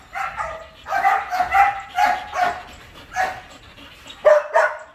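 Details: A big 47 kg Belgian Malinois barking during a training session: loud, harsh barks in short bursts with brief pauses between, the final pair strongest.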